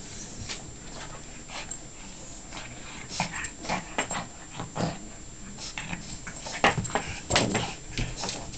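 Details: Pekingese getting frisky and playfully attacking a golden retriever indoors; irregular bursts of rough, snorting growls and short yips, clustered around the middle and end, over a steady low hum.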